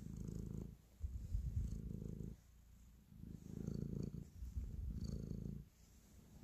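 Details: Affectionate house cat kneading as it purrs: low, throaty rumble in four long breathing surges, each lasting about a second, separated by quieter gaps, with light scratchy rustles mixed in.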